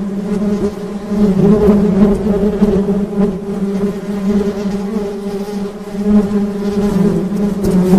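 Honey bees give a steady, low droning buzz that swells and fades slightly.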